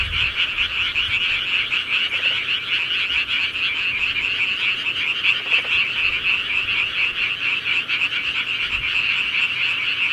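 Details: Countryside frogs calling at night: a dense, continuous chorus of high, rapid croaks merging into a steady buzzing drone, with brief lower pulsed trills near two and five and a half seconds.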